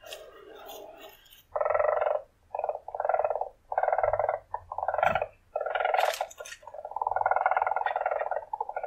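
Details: Weasel calling in a string of short, throaty pulsed bursts, each under a second, separated by brief gaps and ending in a longer rolling trill, with some sharp higher squeaks mixed in midway.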